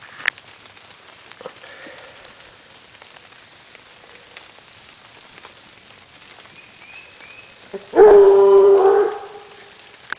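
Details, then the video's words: Female Otterhound, about one year old, hot on a raccoon scent trail on a rainy day. A single loud, steady, drawn-out bay of about one second rings out near the end after quiet, faint background sounds. "Hot on a trail - baying Otterhound"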